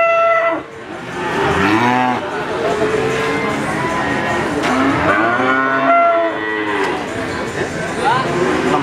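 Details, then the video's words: Crossbred Simmental calf lowing in short, wavering moos, several calls spread over nine seconds with some rising and falling, against a rough background noise. "Suara sapi Lucune Pol - Sapi Pedet Simental Campuran"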